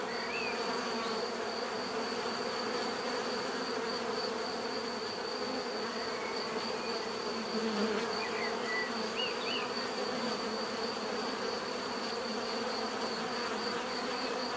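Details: Bees humming as a constant multi-layered drone, with a thin steady high tone overhead and a handful of faint short chirps scattered through the middle.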